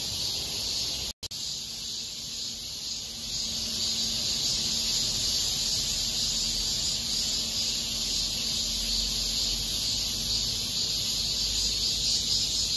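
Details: Cicadas in a small park in South Korea in August 2021 fill the air with a dense, continuous high-pitched buzzing drone.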